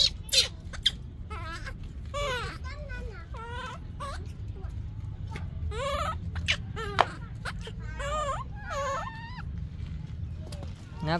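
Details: Yaya's baby monkey, still unweaned, cries for Yoyo's milk: wavering, quavering whimpers that rise and fall in short bursts, with quiet gaps between them and a person talking softly in Vietnamese.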